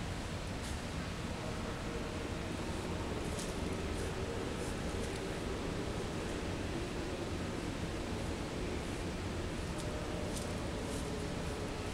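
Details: Steady, dense wind-like rushing noise fills the whole stretch with no animal voice standing out.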